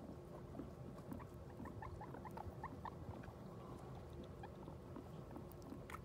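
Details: Guinea pig just after giving birth to New Year's babies: soft, short, high squeaks come in quick runs of several notes through the clip, over constant low rustling and shuffling in the enclosure.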